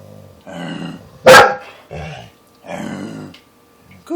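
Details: A female pet dog at home, urged on by her family, gives a single sudden loud bark in the middle. Softer muffled voice sounds come before and after it, with a faint steady hum underneath.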